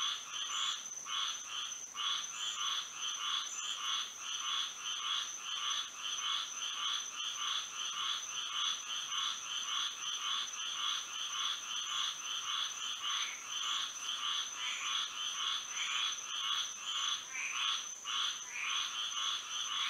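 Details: A Florida night full of singing frogs in moonlight, many callers layering rapid rasping croaks that pulse continuously for twenty seconds, with a steady high-pitched drone behind them.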